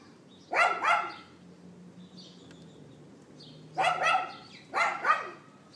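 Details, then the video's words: Outdoor neighbour's dog yapping on April 18th 2012, 11:31 AM, iPhone 4S recording: a quick double bark, a pause with a low hum and bird twitters, then two more doubled barks. "Dog Yapping"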